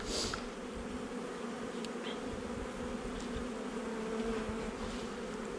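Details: Honey bees hum inside a young nuc colony, installed a little over a month before, as the hive is opened for inspection on 8 July 2020. The buzzing drone is continuous and even, with a brief hiss at the start.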